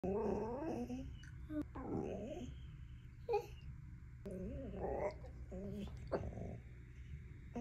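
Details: Siberian Husky eating a chicken burger and chicken nuggets, making wavering, warbling howl-like vocal sounds and low grumbles in repeated bursts, with a steady low hum beneath and occasional sharp clicks.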